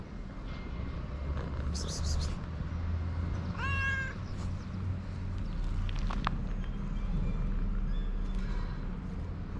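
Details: Hungry stray cats living on a street in Morocco. A single short, wavering meow stands out midway against steady low rumble, with brief clicks and faint rustling around it.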